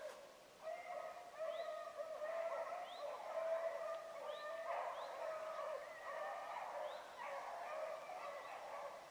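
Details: Hounds running a rabbit at Salt Lake WMA on a morning hunt, 2 February 2018, an Oakhill pup among them: distant, overlapping bawling bays repeat steadily in a chorus of several dogs, with faint outdoor background.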